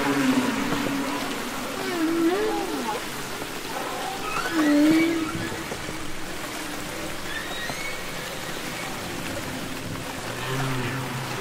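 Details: Humpback whale singing underwater, from the Capitol Records album ST-620: gliding, moaning tones that swoop up and down in short phrases, with fainter high whistles over a steady hiss like rain on water.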